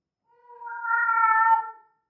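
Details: One sustained, rising-and-falling harmonic yowl about one and a half seconds long from a female cat in heat, possibly Persian, with nothing else audible.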